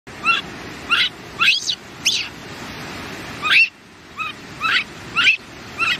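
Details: A baby monkey gives short, high, chirping squeaks, singly or in quick pairs, about eight in six seconds. A steady hiss of background noise runs underneath.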